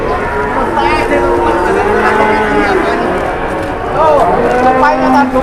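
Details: Several cattle lowing at a market, overlapping drawn-out moos with rich harmonics, one wavering call near the end, set against busy background voices and bustle.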